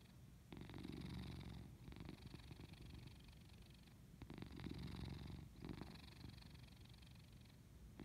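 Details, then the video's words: Sleeping pet cat purring, a deep buzzy rumble with fine rapid pulses that rises and falls in long breaths, louder phases lasting about one to two seconds with brief quieter gaps between, no other sounds. "purrs while sleeping"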